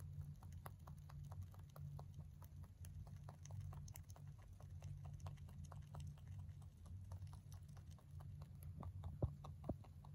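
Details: Male mini rabbit born November 2020, kept as a pet, eating hay: rapid crisp crunching clicks repeated several times a second, steady throughout, over a low constant hum.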